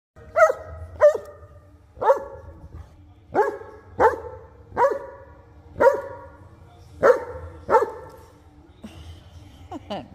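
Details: Nala, a Newfoundland in Arizona, barking at her big brother Teddy to insist he play: about ten short, deep, hoarse woofs spaced roughly one second apart, ending with a person's voice and laughter.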